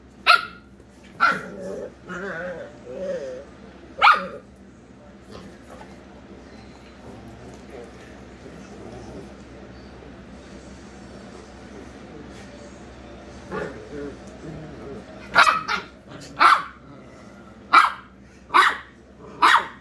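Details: Pet Corgi Penelope VonFluffyPants and Dachshund Kona Kahuna in a playful argument over who gets the bed; a few sharp barks open the scene, a long quiet middle follows, then a quick volley of repeated yaps near the end, with voices in the background.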